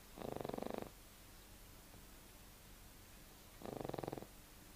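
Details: Sleeping pug producing two buzzy, vibrating snores about three and a half seconds apart, each lasting around half a second, with quiet breathing pauses between.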